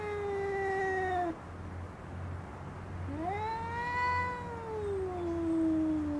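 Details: Female cat contesting a garden chair, a descending moan fading out, a pause, then a long rising and slowly falling yowl over a low steady hum in the background.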